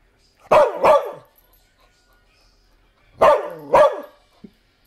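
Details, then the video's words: Dog named Bumba barking: two sharp, harsh barks in quick succession, a long pause, then another close pair of loud barks, followed by a brief faint sound. "Barking Bumba"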